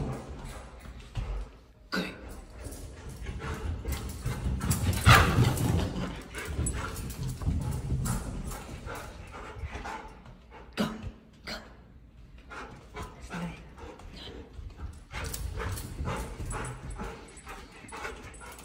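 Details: Bernese Mountain Dog named Benny at home with a baby learning to walk; scattered short barks and yips amid footsteps, thumps and a woman's encouraging voice.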